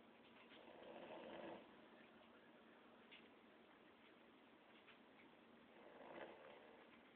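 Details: Boston Terrier dog snoring while taking a mid-day nap; two rough, noisy snore swells about five seconds apart rise out of a steady low hiss, with quieter breathing between them.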